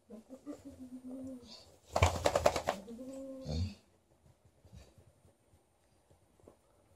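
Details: A 13-year-old Golden Retriever vocally demands more petting while a Malamute objects. Drawn-out, wavering howls open the clip, then a short burst of rapid harsh barks, another howl, and quiet shuffling afterwards.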